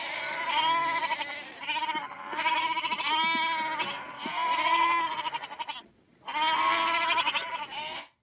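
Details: Goats at Berkeley Lab recorded up close, giving long wavering bleats with rich harmonics, several overlapping in quick succession, a brief pause near the end, then another drawn-out bleat.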